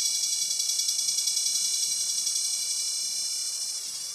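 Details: Continuous high, ringing drone of a cicada, known locally as kuliglig or gangis, throbbing in quick regular pulses roughly three to four per second and easing a little in loudness toward the close.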